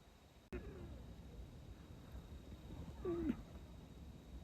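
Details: A sleeping female Persian cat, seemingly dreaming, snores low and steady, then lets out a short, soft mew as sleep-talk; she also smacks her lips as if eating.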